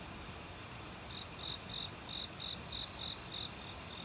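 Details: Cricket in an autumn forest in Korea, singing alongside other insects near a mountain stream: a run of short, high pulsed chirps starting after a second, with faint very high ticks from another insect above and flowing water beneath.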